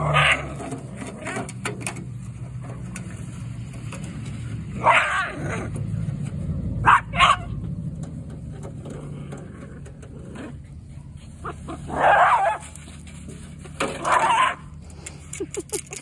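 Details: Playful Jack Russell Terriers tussle over an aluminum gutter, giving short sharp barks and whiny yelps in scattered bursts, a pair close together then two more several seconds apart, over a steady low rumble and clicking scrapes.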